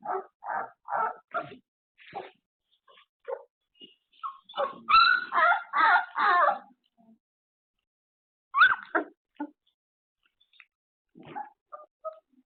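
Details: A surveillance camera catches puppies after an afternoon nap: scattered short yips and whimpers, a loud cluster of longer whines in the middle, then quieter isolated squeaks with long silent gaps.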